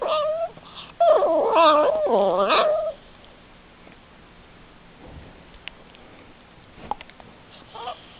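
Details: Funny noises from a male dog: a warbling, whimpering whine that bends up and down for about two seconds after a short opening whine, then near silence with faint rustles in a small room.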